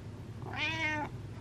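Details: House cat calling for attention with a single clear, drawn-out meow lasting about half a second, bright harmonic tone rising then level, against a quiet indoor room hum.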